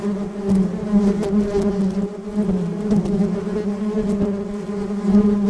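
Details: A Western honey bee (Apis mellifera) busy among the flowers of a rose garden gives a steady, low, droning wing buzz, rich in overtones, at an even pitch.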